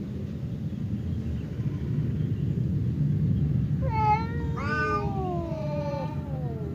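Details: Domestic cats Temon, a fierce one, and Lelo, a quiet one, face off across a partition as if about to fight; after several seconds of low rumbling background noise, a drawn-out wavering yowl rises and then slides slowly downward.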